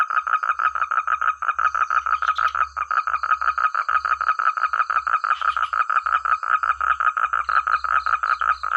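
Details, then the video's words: Frog chorus in village rice fields, loud and clear: a rapid, steady train of short croaking pulses, about three per second, running throughout, with a continuous high insect-like whine and faint low rumbles behind. "Suara katak terbaik,rame ,keras dsn jernih"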